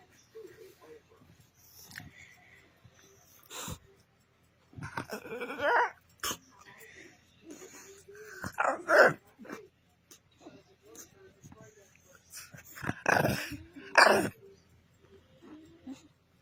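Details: A dog vocalizing after a belly rub stopped: irregular bursts of whines, grumbles and yelps, louder and rougher around the middle and near the end, separated by short quiet gaps.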